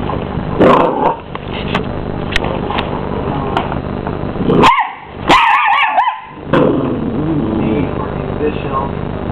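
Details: A 12-week-old male Miniature English Bull Terrier puppy squaring up to the hoover; steady vacuum noise runs throughout, broken midway by a cluster of sharp, high barks and a short yelp.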